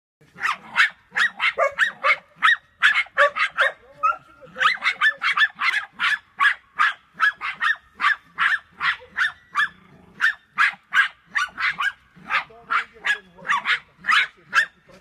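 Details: Two Jagdterriers bark sharply and rapidly while hunting wild boar, several barks each second, in near-continuous bursts.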